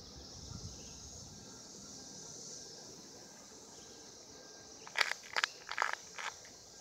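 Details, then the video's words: Cicadas recorded in 2016 during mating, a steady high buzzing drone running unbroken through the whole stretch, with a few sharp crackling bursts and rustles near the end. "Cicadas 2016 mating"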